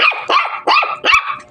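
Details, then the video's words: A Shih Tzu gives four quick, high, sharp barks in rapid succession, each a short bright yap, with no other sounds around them. "my.first baby,shitzu"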